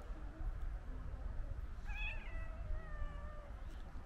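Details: White stray cat running up to a person outdoors, giving one drawn-out meow that rises then falls and trails off, with clear harmonics, over a steady low rumble of traffic-like background noise.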